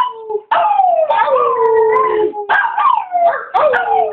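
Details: A Chihuahua named Chewy in full howl, urged on by his owner. After a soft start come loud sustained howls that each begin with a sharp rise and glide slowly down, renewed every second or so.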